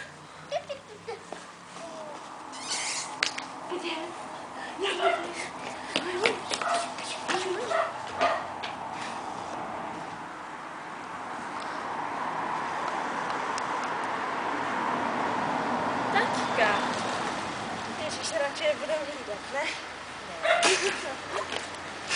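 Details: Cardigan Welsh Corgi puppies of the B-litter, out on the grass for the first time: short, high yelps and whimpers come in quick bursts over the first eight seconds, then a steady rushing noise, with human voices throughout.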